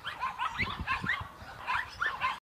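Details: Two playing, play-fighting dogs, a Boerboel x American Staffordshire mother and her Boerboel x American Staffordshire x XL Bully daughter: a run of high, whiny yelps with short rising-falling tonal sweeps, repeated in quick bursts, over low scuffling thumps.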